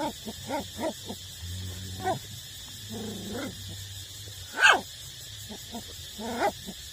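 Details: Eight-week-old puppies nursing from their mother, likely street dogs; short whimpering yips and squeaks come in scattered bursts, one sharper yelp near the end, over a steady background hum.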